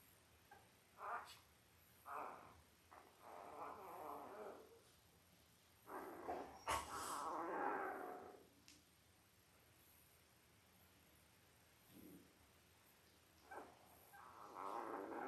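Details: Newborn Labrador Retriever puppies, five days old, from Belle's eight-pup litter born October 15, 2023, fuss in an irregular series of squeaky whines and mewing cries, some clustered, others isolated, separated by lulls of soft background hiss.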